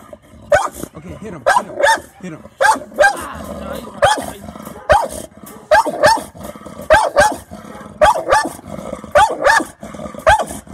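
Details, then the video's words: American Bully Oreo on guard: rapid repeated barks close to once per second over a steady low growl, with a person speaking quietly in the background. "Oreo is on guard American Bully"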